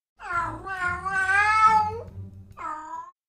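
A domestic cat gives long, drawn-out wailing yowls, the caterwaul of a female in heat.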